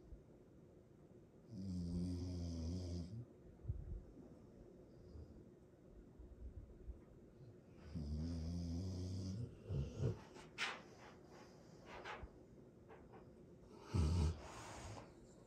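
A sleeping Rottweiler snores loudly in deep, rattling rumbles about six seconds apart.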